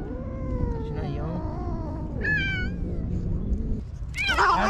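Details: Stray cats in a Japanese park facing off in a springtime fight: long, wavering, moaning howls that slide up and down in pitch, with a sharper rising yowl midway and a harsh, loud burst at the end, over steady low background rumble.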